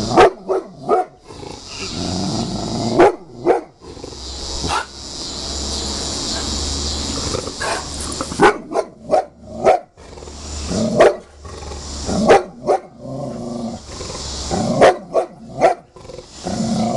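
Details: Huge Bulldog flipping out at a picture it hates, letting off bursts of loud, sharp barks, some in quick runs of two or three, separated by short pauses, over a steady background hiss with faint human voice.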